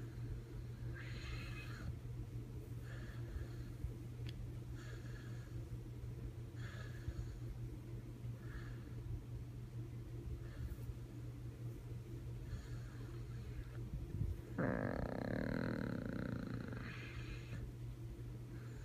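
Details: A sleeping puppy named Bandit snores in a quick, breathy rhythm, each rasp short and airy, before a louder, tonal, frog-like snort-groan near the end; constant low electrical hum throughout.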